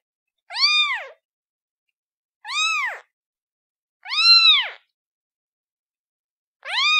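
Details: Kitten meowing: four high, arched mewing calls with rich harmonics, each about half a second long, spaced roughly two seconds apart, on a silent background.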